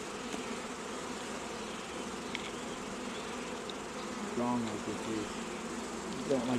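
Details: Honey bees buzzing at an apiary during queen rearing, around a box of bees gathered on a truck; a steady dense hum fills the clip, with a short voice and brief tonal sounds near the end.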